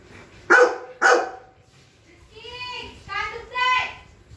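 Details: French Mastiff dog barking during a playful argument with its owner indoors: two sharp, loud barks half a second apart, followed by a child's excited calls of "Dad!".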